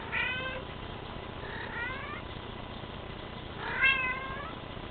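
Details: Bengal cat giving three short meows within five seconds, the last louder and bending downward, over constant background hiss.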